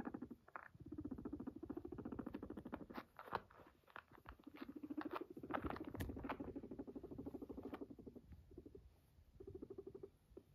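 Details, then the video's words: Max, a pet guinea pig, purrs after coming to its owner: a fast, even pulsing throb in low, buzzy bursts lasting a few seconds each, with brief pauses and a few soft clicks between them. "Max came to me to purr 🙂 it’s so cute 💕 Guinea pig"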